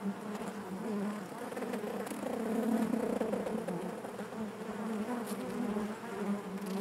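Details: Inside a honey bee hive, a continuous low droning hum that rises gently toward the middle and holds, thick and even, with a few soft knocks and rustles beneath the buzz.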